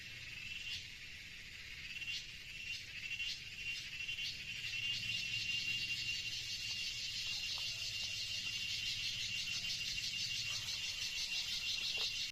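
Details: In a forest, a dense, high-pitched insect chorus buzzes and shimmers steadily, with rapid pulsing throughout.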